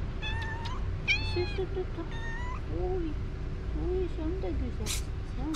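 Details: Stray caramel cat known as acrobat cat, met on a street in Istanbul, asking for food and love. It gives three high, clear meows, the middle one rising and the last drawn out, while a person talks over lower mews.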